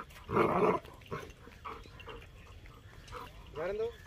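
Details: A 6.5-month-old German Shepherd puppy barks at buffaloes, which he dislikes. He gives a loud, rough bark, then shorter yelps and a rising whine.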